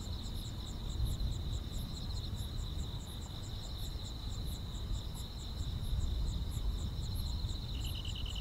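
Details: Chorus of grass insects on a summer night: a bright continuous buzz-trill with rapid repeated chirps above it and slower, even higher clicks spaced about every half second. Steady low background rumble.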